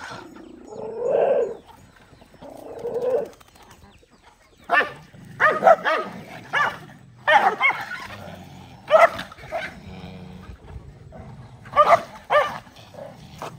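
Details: Several dogs eating rice together; lower muffled clucking-like sounds at first, then a run of short, sharp barks repeated at irregular intervals of about one to two seconds, with light clatter and background noise.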